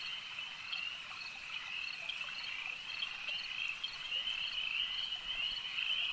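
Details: Frog chorus at a lake, an unbroken high, buzzy trill from many callers, growing somewhat louder and brighter toward the end.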